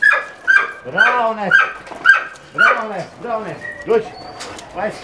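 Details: German Shorthaired Pointer (kurzhaar) working at a hurdle with a retrieved fox; sharp arched yelping whines repeat roughly every half second, strong and harmonic, fading into softer whimpers with human voices nearby.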